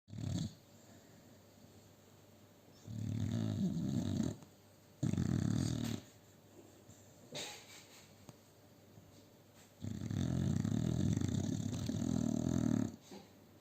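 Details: A sleeping male American Bully XL, sharing a sofa with two female Staffordshire Bull Terriers, snores in deep, rumbling bursts, each breath a rough, low rattle.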